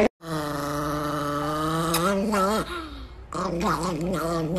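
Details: An angry Chihuahua named NiKi holds a steady, droning growl, then lets it bend and waver into a grumbling, warbling whine after a short pause.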